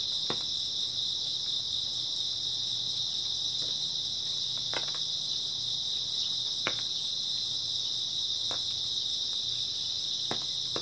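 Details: Grass insects calling through an early autumn night, a continuous high, even trill with a faint upper overtone, punctuated by soft isolated ticks roughly every two seconds.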